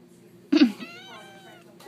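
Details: Cat at a pet store gives a loud meow that starts harsh and bursts in, then carries on as a drawn-out, wavering tonal cry for about a second in a quiet room.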